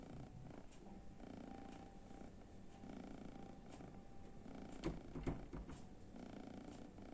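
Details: A kitten sleeps in front of the oven, snoring in a low, purring rumble at roughly two breaths a second, with a faint steady hum and a few soft knocks indoors.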